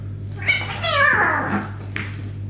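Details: Domestic male cats before a fight, among them a black-and-white shorthair and British Shorthairs; a drawn-out, wavering meow with stacked harmonics rising then falling, then a shorter second cry, over a steady low hum indoors.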